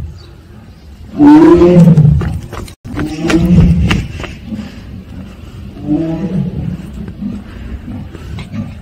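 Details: Deep 'aung' calls from a captive Siberian tiger at Seoul Grand Park. Two loud, throaty moans come close together, then a softer third, with scattered clicks and faint background noise.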